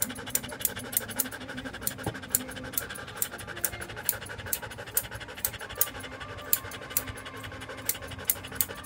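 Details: Standard poodle Joe pants steadily during grooming at a Paris 8th-arrondissement salon: rapid, even breathy huffs, roughly three per second, with sharp little clicks and a low steady hum in the room.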